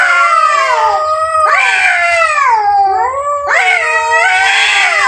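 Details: Loud, continuous yowling of two fighting cats, overlapping wails sliding down then swooping upward, harsh and strained with no pauses.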